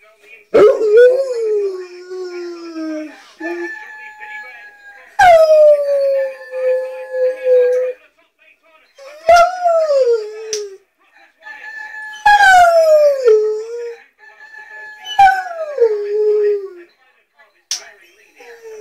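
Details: A Rottweiler howls along to a rooster-crow alarm clock in long, wavering tones that slide downward, repeated in bouts every few seconds.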